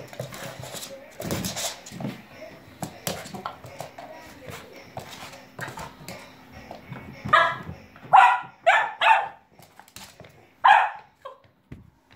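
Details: Max, a Cavalier King Charles Spaniel puppy, at play with a balloon indoors: rustling and thumps first, then a run of four or five short, loud yapping barks in the last seconds, a person speaking briefly.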